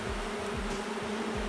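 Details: Low, even hum from a queenless honey bee colony turned drone-laying. The beekeeper finds no brood and no queen cells, and the drone runs unbroken with soft low thumps underneath.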